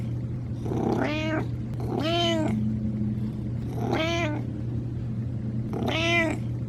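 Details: Confident older cat saying hello in a plain, fairly joyful, moderate voice showing its years and chest; four full harmonic meows about two seconds apart, each swelling and dropping in pitch, against a steady low background hum.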